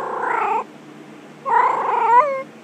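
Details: Domestic cat giving two drawn-out, wavering meows, the second longer and rising at its end into a strained, caterwaul-like cry, separated by a pause of almost a second.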